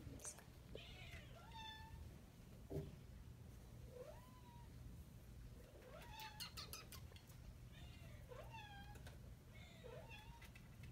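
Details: Adoptable Domestic Shorthair cat meowing repeatedly indoors: five or six rising-then-falling, slightly nasal meows spaced a couple of seconds apart, with a person's voice and a few clicks in between.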